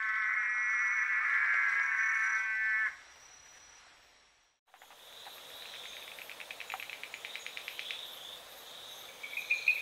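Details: Rainforest frogs from southeastern Brazil: a loud, tonal, harmonic note held for about three seconds, then after a short pause a series of rapid, evenly spaced clicking pulses that speed up, with a higher insect-like buzz near the end.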